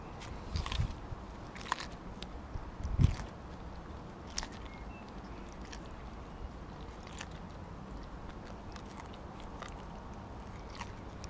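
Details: Siberian Husky named Kobi eating a whole raw mackerel in one go; soft wet chewing and crunching with a few louder bites early on, then steady quieter mastication against low background noise.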